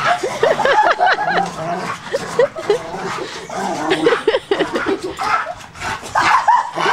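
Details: Excited dog on a trampoline letting out many short, high, curved yips in quick irregular succession, with some background talk and thumping.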